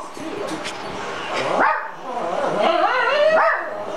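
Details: Shih Tzu dog barking and whining at dogs on TV, trying to tell them they are bad; rising whiny barks with tonal yips around the middle and end over steady TV background noise.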